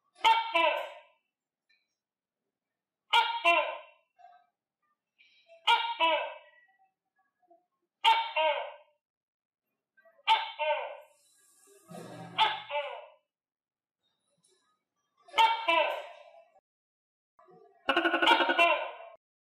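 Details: A captive tokay gecko, fed on crickets, gives loud, harsh two-part barking calls, repeated about every two and a half seconds.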